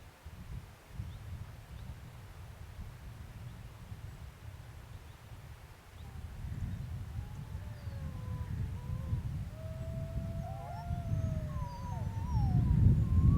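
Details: Several wolves howl together on the Sharr mountains, long sliding tones rising and falling over a low, steady rumble of wind.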